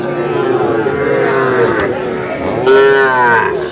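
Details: Sahiwal bull calf at a cattle market, bought by a farmer from Chittagong: two drawn-out, tonal moos, the second louder and sliding downward, with market voices and chatter behind.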